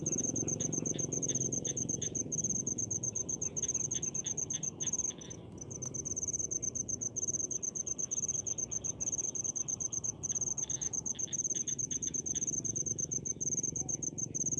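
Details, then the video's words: In paddy fields, crickets keep up a near-continuous high, shrill trill of fast pulses, dipping briefly around five and ten seconds, with fainter lower chirping beneath and a soft low hum. "SUARA JANGKRIK DI PESAWAHAN"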